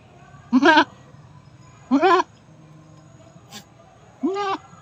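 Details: Goat giving birth, letting out three short, shaky bleats spaced over a few seconds, each quavering and nasal, with quiet background between calls and a brief click near the end.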